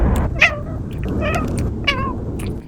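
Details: Cat (Felis catus), meow: asking its human for food.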